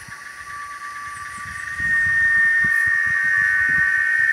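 A cicada's steady, high, whining drone, swelling louder partway through.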